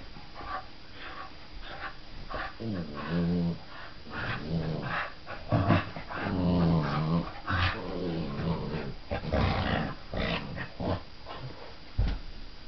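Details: Two Clumber Spaniel pups, eight and three months old, playing together: low, rough, harmonic growls come in bursts of a second or two, strongest around the middle, mixed with snuffles, yips and scuffling thumps.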